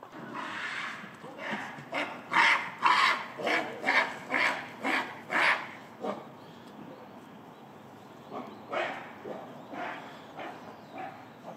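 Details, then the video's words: Nene, the oldest female gorilla, screams in anger while chasing Shabani, the silverback, during breakfast in December 2022 after he interrupted her eating. About nine harsh, loud bursts come roughly twice a second, followed by softer, scattered calls. "Angry Female Gorilla Screams & Chases After A Silverback"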